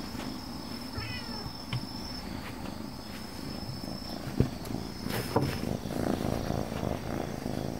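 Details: Dog-like calico cat purring steadily in a low pulsing rumble, with a brief chirp early on and a couple of sharp taps or knocks partway through; a faint high whine sits in the background.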